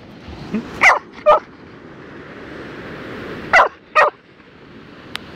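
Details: A dog plays at digging on a Busselton beach; four brief barks come in two pairs a few seconds apart against constant background rush.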